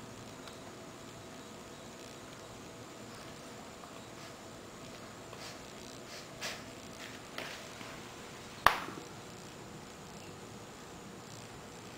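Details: Quiet indoor room hum with a few soft knocks and one sharp click near the end, no animal voice heard.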